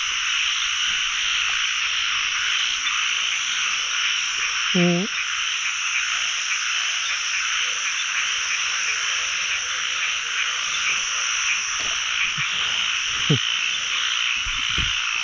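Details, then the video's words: Many narrow-mouthed frogs croaking across a pond during the year's first frog-catching outing, forming an unbroken dense chorus, with a few brief nearby knocks and splashes. "จับอึ่งครั้งแรกของปี ร้องเต็มสระเลย"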